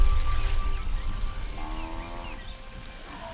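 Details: Music plays with sustained tones and sliding notes over a low rumble, and no animal calls can be heard.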